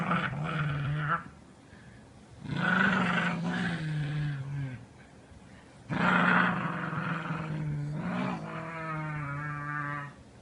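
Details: Pet dog growling like a revving motorbike as a person speaks of accelerating a motorbike: three long, deep, rumbling growls rising and falling in strength, each a few seconds, the last with a wavering, vibrating tone.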